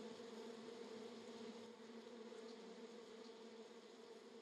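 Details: Honey bees swarming a small DJI Mini 2 drone in Florida, possibly Africanized; steady dense droning hum throughout, possibly blended with drone motor whine.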